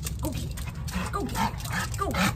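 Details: Pet dog Hodor, keyed up before a fetch game, gives a string of short, high, wavering whimpers about every half second. A person's excited voice is faintly mixed in.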